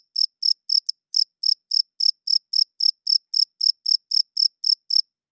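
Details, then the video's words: Cricket chirping at night, made by a male rubbing its wings to attract females and establish territory; high, clean pulses repeat about four times a second, around twenty in a row, with silence between and no other sounds. "Cricket Chirping Sounds - Cricket klinkt 's nachts luid"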